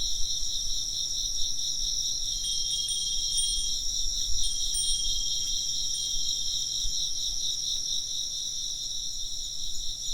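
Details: High insect trills pulse steadily in overlapping bands while wind chimes ring in bright, thin tones around the middle.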